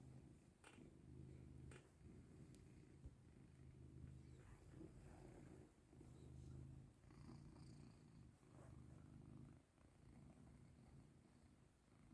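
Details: Domestic cat purring steadily while getting rubs and affection indoors, a low continuous rumble with brief dips between breaths and a few faint clicks and rustles.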